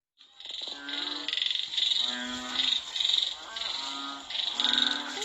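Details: Several frogs in Cambodia call during and after rain, giving overlapping, nasal, bleating bursts that swell and fade every second or so.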